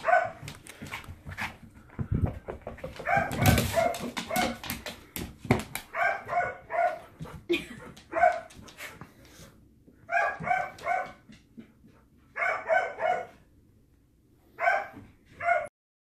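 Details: Border Collie Storm, a pet dog indoors, barking at a new ball he dislikes. The barks are sharp and come in quick doubles and triples, with short pauses between bursts. A loud rattling clatter sounds early on.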